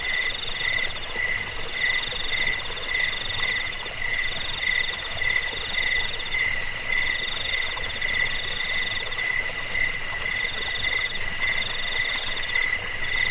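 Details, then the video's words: Crickets in a recording meant to keep rats away, lull listeners to sleep and teach songbirds: dense, high metallic trills stacked at several pitches, pulsing quickly and without pause for the whole stretch. "Suara jangkik pengusir tikus pengantar tidur"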